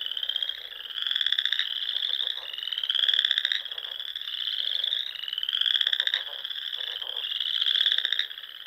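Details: Spring frog chorus from a pond in Nebraska's Sandhills: many frogs give rapid, rising trilled calls that overlap and swell in waves about every two seconds, with fainter lower clicking pulses beneath.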